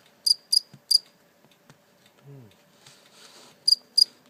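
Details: A captured live cricket, later released, gives three quick high chirps, a quiet stretch with faint rustling and a brief low voiced sound, then two more sharp chirps near the end.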